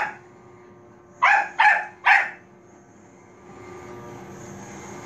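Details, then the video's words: Bichon Frise Manbok gives three quick high barks at a robot vacuum, then falls silent while the cleaner's motor noise swells. "비숑프리제 만복이 로봇 청소기멍"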